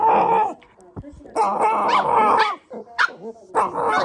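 A Shiba Inu gives odd, wavering, yodel-like whines and yowls in short bursts.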